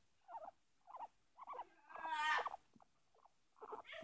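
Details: Peeta, a pet guinea pig, during close quality time while nibbling at a person's chin: short squeaky chirps in quick bursts, one longer buzzing, harmonic-rich squeal in the middle, quiet indoor background.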